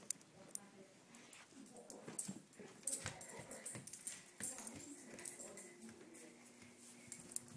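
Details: Buddy, a pet Samoyed, busy with his greenie chew that he first lets be taken away, then runs off with; soft clicking and handling noises, then a low, steady whining tone held through the last seconds.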